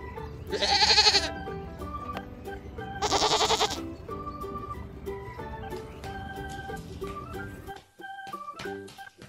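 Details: Goat in a toddler lesson on farm animal names and sounds, giving two harsh, quavering bleats about two seconds apart near the start, while bright keyboard-style children's music plays throughout.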